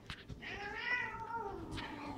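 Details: Cats Tinker and Sunshine wrestling mid-fight; one drawn-out rising then falling growling wail, smooth harmonic bands sliding downward over two seconds, with faint rustling around it.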